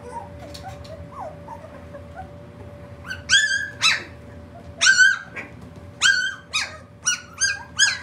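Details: Puppies three weeks old yelping: a few soft squeaks at first, then loud, piercing, harmonic-rich yelps in irregular bursts, some paired close together, with a faint steady hum underneath.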